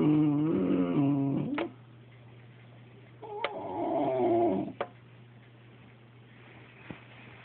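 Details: A Boxer whining at a cat to coax it into play: two drawn-out, nasal whimpers with wavering pitch, separated by a quiet gap and followed by a few faint clicks over a steady low hum.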